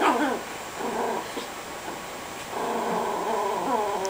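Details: Lilo the Chihuahua, hidden in a couch with a bone, keeps up an angry motor-like growl when petted. Sustained rattling growl in two long bursts, rising and falling in pitch, inside a quiet room.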